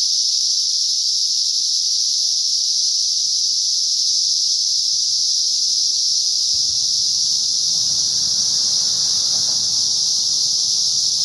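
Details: Cicadas singing alongside a garter snake: a dense, unbroken high-pitched hiss-like drone holding steady throughout, with faint low rustling underneath.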